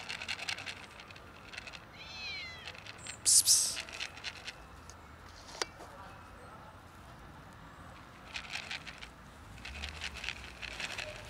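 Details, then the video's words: A fluffy little cat, as if trying to talk, lets out a short, rising then falling meow early on. Clicks, a loud tap and handling noises follow over quiet room background. "Fluffy little cat wants to say something but can't really talk"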